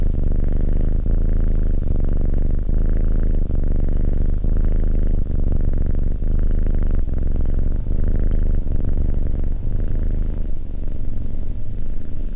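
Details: Cat purr, low and throbbing, rising and falling with the animal's breathing in cycles just under a second long, unbroken for the whole stretch with a soft airy hiss on top.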